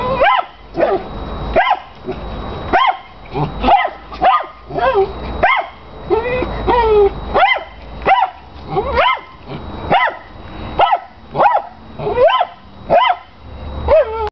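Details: Dog obsessed with his big tennis ball barks piercingly and almost nonstop, roughly twenty sharp barks in steady succession with a brief whiny stretch midway, as a chihuahua has zoomies in the background.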